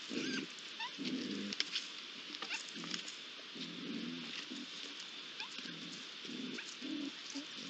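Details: Iberian lynx youngsters, three of them gathered at a pond on 8 July 2022, give a run of short, low, rough calls at irregular intervals against a constant high-pitched ambient hiss.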